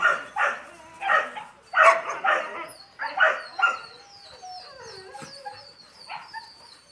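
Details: Several yelping yips from Yakutian Laika puppies, about one every half second, then the yipping fades into thin, high whimpering squeaks and soft background noises.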